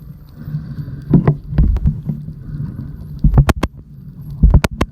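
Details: Spinner dolphins off the coast of Hawaii's Big Island give sharp, isolated clicks over a heavy low underwater rumble.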